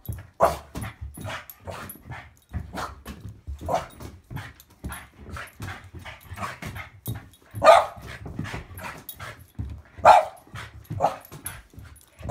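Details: Boston Bull Terrier at play in a game of monkey in the middle with a football, giving a rapid run of short gruff barks and huffs, two louder yaps standing out near the end.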